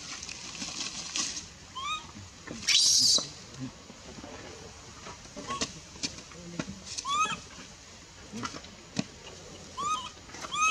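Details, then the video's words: Female baby monkey in the Bayon area, crying as her mother pushes her away from nursing; thin, arched whimpers with harmonics recur irregularly over rustling and scattered clicks, with one loud hissy burst early on. "Super sad baby monkey is crying when her mom is try pushing her out for reject milk"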